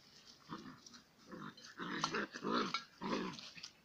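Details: Romanian Mioritic Shepherd Dog at play with a stray dog, irregular short gruff growls and huffing grunts in quick succession, about two per second.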